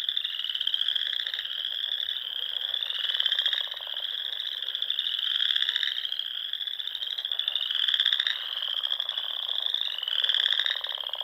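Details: Frogs singing in spring at dusk among the small lakes and ponds of the Sandhills, Nebraska: a dense, continuous chorus of high, rapid pulsed trills that swells into brighter, louder bursts roughly every two to three seconds, with no other clear sounds.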